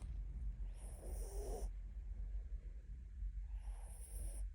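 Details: Mini Bichon dog snoring: two drawn-out, breathy rasping snores about three seconds apart, each with a hissy high edge over a steady low background hum.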